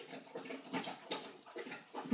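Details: Three-week-old puppies indoors at feeding time, making soft, breathy grunting squeaks in a quick series of short bursts, with handling noises and a quiet room behind.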